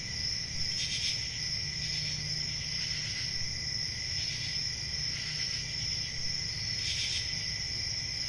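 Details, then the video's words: Summer night crickets in the countryside, a constant high-pitched ringing chorus with short bursts of louder chirps recurring irregularly, above a soft low droning noise. "Relaxing Cricket Sounds For Sleep | Ambient Summer Night"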